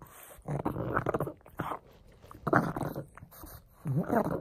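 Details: Frank the pug growling while playing with a bone, three strong bursts of throaty, slightly whining growl with pitch wavering upward, quieter snuffles in between.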